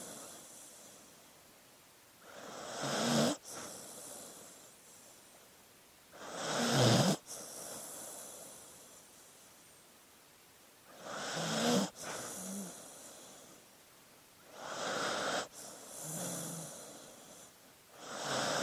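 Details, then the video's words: Dog snoring while sleeping: five rasping breaths at slightly uneven intervals, several with a low gurgling rattle and brief snorts, the loudest around the middle, with soft hissing between breaths. "Sleeping Dog Sounds"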